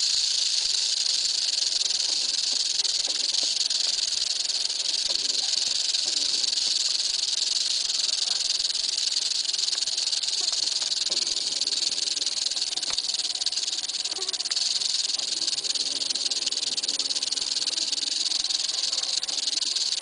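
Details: Eastern diamondback rattlesnake giving a long, steady rattle, a dense dry buzz without pauses, with faint low background noise.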